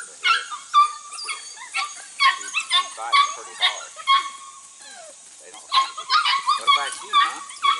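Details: Registered Border Collie pups, six to eight weeks old and from two litters bred from cattle lines, working goats for the first time; high, short yips repeat rapidly and irregularly, with a man's voice praising and talking over them.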